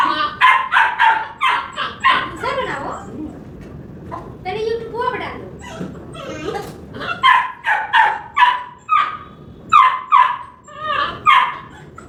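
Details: Labrador Retriever puppy at play with a hen, barking in rapid bursts of yappy, high barks, some with a whimpering edge, pausing midway then resuming in a steady run of regular barks.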